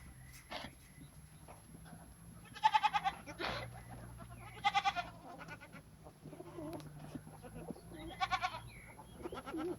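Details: Goats on a goat farm bleat in short, wavering bursts, a few seconds apart.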